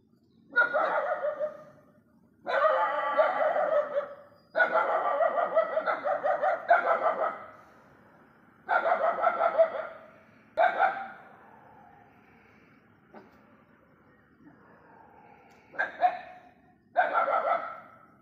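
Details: Several stray dogs barking at night: repeated bursts of harsh, pulsed barking, each lasting one to two seconds, separated by short quiet gaps, with a faint low background hum.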